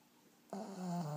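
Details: Black pug asleep indoors: after brief quiet, one loud snore starts abruptly, a rough, droning, low buzz that holds steady and drops slightly in pitch toward its end.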